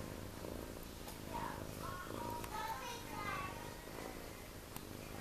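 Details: Four ginger tabby male kittens, just over two weeks old with eyes open, feeding; a soft, low rumbling purr comes in slow pulses while a person talks quietly over it.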